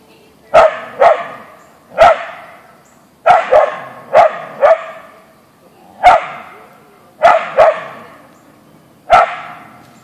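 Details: Barking from Boeing, a Siberian Husky (Ausky), on meeting a deer in a backyard; loud clipped barks, single or in pairs, repeated steadily about every second over ten seconds.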